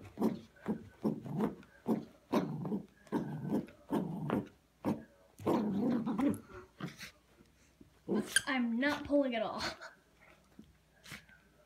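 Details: Yorkshire Terrier playing tug of war indoors: bursts of low growling repeated roughly every half second, then a higher whining whimper with rising and falling tones near the end; a person speaks.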